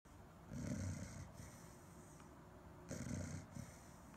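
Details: Chow Chow dog snoring, two low, rasping breathy snores roughly two and a half seconds apart, with quiet breathing between them.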